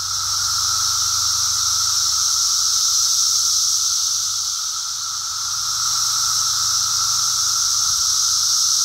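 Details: Periodical cicadas of Brood X during their emergence, recorded on a walk: a dense, steady, hissing chorus of many insects, continuous and shrill, with a faint lower tone beneath and slight swells in loudness.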